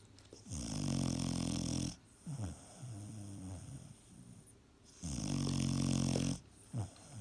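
A sleeping Vizsla puppy snores with long, rasping, low rumbles broken by soft breathy wheezes.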